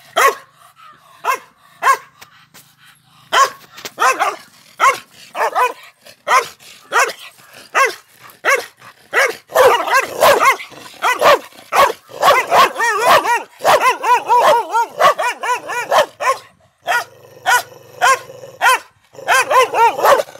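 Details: A male Pandikona guarding a farmhouse barks in a long, rapid, excited run of sharp harmonic barks, some bursts crowded together into near-continuous barking, with occasional brief pauses.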